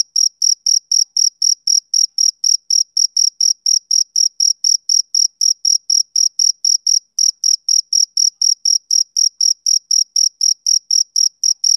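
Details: Male cricket chirping on a summer evening, a clean high-pitched pulse repeated about four times per second in a steady rhythm, with a faint overtone above and no other sounds.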